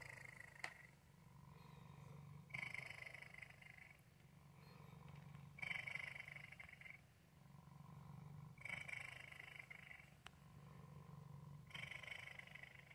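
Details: Contented male house cat giving a continuous low purr, rhythmic rumbling that rises on each breath roughly every three seconds, with faint breathy hiss on the inhalations.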